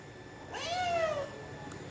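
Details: A domestic cat gives a single clear meow, rising then falling and drawn out for under a second, in a quiet indoor room; a short noise follows at the end.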